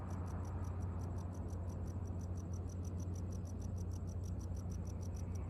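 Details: Tropical house cricket (Gryllodes sigillatus) in Okinawa, Japan, where it calls almost all year in town from roadside gutters and concrete crevices; an even run of short high chirps, roughly four a second, over a heavy low rumble.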